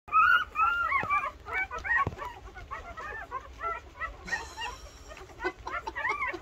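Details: Thirteen two-week-old Rottweiler puppies nursing, making many overlapping high squeaky whimpers and chirps, rising and falling constantly, with occasional soft clicks and rustling.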